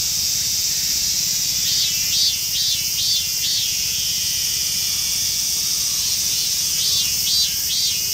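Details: A rare emerald-green Mikado-type robust cicada (Hyalessa maculaticollis), found in a park in western Saitama, Japan, sings a harsh, high buzzing drone with bursts of pulsing, repeated notes.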